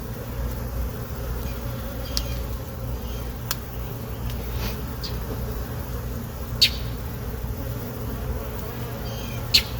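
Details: A colony of honey bees under inspection in a hive box, late afternoon, the queen laying well; a continuous low buzzing drone runs throughout, broken by sharp clicks and taps from frames being handled.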